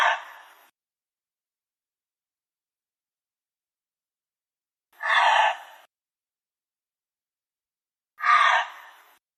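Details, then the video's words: Harsh, hoarse screeching calls of a gray fox, three short raspy bursts each under a second, spaced roughly three to five seconds apart with silence between; no background noise. "Let's listen to the call of the gray fox next. and"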